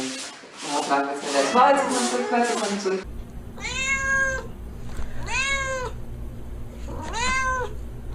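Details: A person talks, then a domestic cat meows three times. Each meow is drawn out and arched, rising then falling, about a second and a half apart, over a faint low hum.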